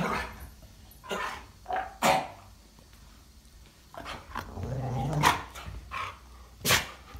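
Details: A Jindo and a Siberian husky wrestle playfully, not truly fighting; sharp, short barks and yips punctuate a few drawn-out, grumbling growls, with quieter stretches of breathing and scuffling in between.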